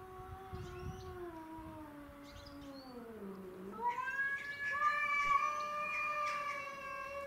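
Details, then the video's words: Domestic shorthair cats, Tom, Mimi and a neighbourhood stray, fighting over territory outdoors. A low moaning growl slides slowly downward, then breaks into a higher, louder, sustained yowl with bright harmonics. "Craziest Cat Fight Compilation Video"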